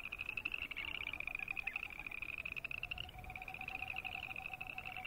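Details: Boreal chorus frogs croaking together: continuous, overlapping high pulsed trills that rise and run on, joined by a softer lower rattling trill near the end, over a steady hissing background.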